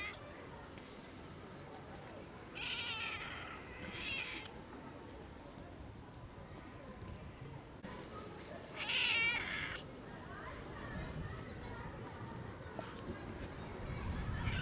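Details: Homeless cat asking for food, meowing loudly and persistently for itself and a friend; several separate, bright meows spaced by pauses over low background rumble, one sharper wavering cry near the middle.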